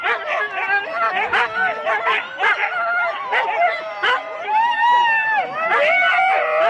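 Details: Husky teams of four dogs at a sled race start in Rendlesham, January 2016, several dogs barking, yelping and howling together in a dense, continuous chorus of overlapping rising and falling cries.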